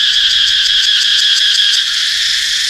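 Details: Cicadas in Laos during their season, heard while being hunted for food: a loud, continuous high buzzing drone with a fast pulsing flutter, steady throughout.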